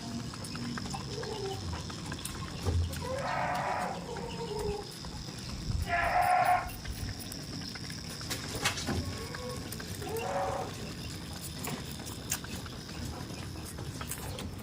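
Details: Tame goats on a goat farm. Three loud, wavering, nasal bleats come at roughly three-second gaps, with steady low farmyard rumble and a faint high hum underneath.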